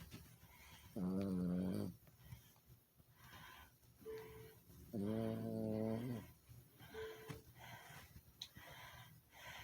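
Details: A sleeping Chihuahua snoring indoors: two drawn-out, tonal, nasal snores of about a second each, roughly four seconds apart, with soft breathing between them in a quiet room.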